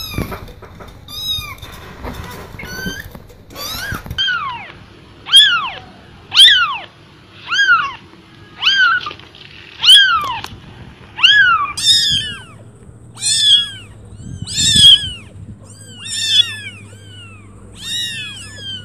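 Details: Cat voices: evenly spaced, clear rising-falling meows repeated about every one and a half seconds for nearly twenty seconds, high and tonal, over a quiet low hum.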